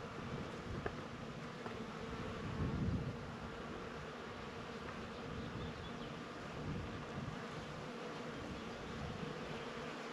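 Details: Bees among flowers, a dense low steady buzzing hum that swells briefly near the third second, with faint rustling and a broad background hiss throughout.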